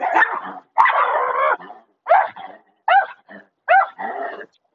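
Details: German Shepherd dog giving a series of drawn-out, whining barks, each rising then falling, about one per second, some ending in short yips.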